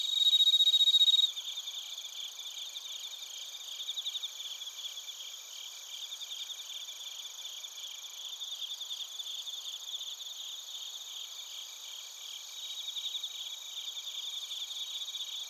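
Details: Bell crickets and other crickets chirping in Narita, Chiba Prefecture, Japan, recorded with a TASCAM Portacapture X8: dense high-pitched pulsed trilling from several insects overlapping, a louder steady ringing burst in the first second, then an even, rapid chorus.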